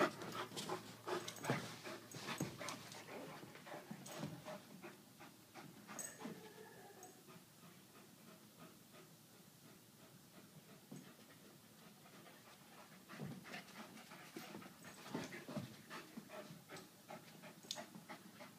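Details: Irish Wolfhound Brogan at play with Aussie-Doodle puppy Millie: rapid breathy panting, strongest at the start and again near the end, quieter in the middle, with rustling movement noise.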